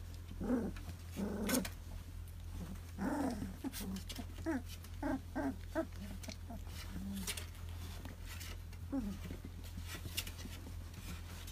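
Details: Two-month-old puppies whimper and growl in short squeaky bursts, some rising then falling, grouped between brief pauses; a person speaks Chinese nearby over a steady low electrical hum.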